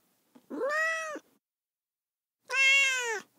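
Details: Two drawn-out cat meows, each under a second long, rich in bright harmonics and gently arching in pitch, with a quiet gap of over a second between them.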